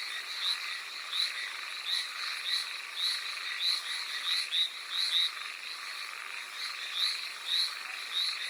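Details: Hallowell's tree frog calling in the rain on Amami Oshima, Japan: short nasal croaking notes repeated steadily, roughly one and a half per second, overlapping with other callers over a constant hiss of rainfall.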